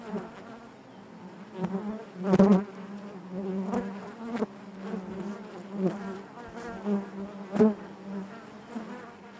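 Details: A hive full of honey bees hums with a steady deep drone, louder bursts of buzzing surging every second or two as bees brush close, plus scattered faint knocks.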